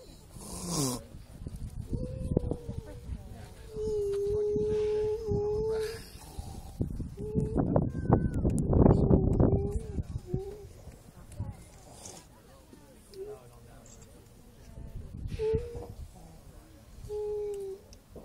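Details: Grey seals wail across their breeding colony at Donna Nook, east coast of the UK: several long, level, mournful tones at a similar pitch, some overlapping, with a loud, rough outburst midway and steady low background rumble.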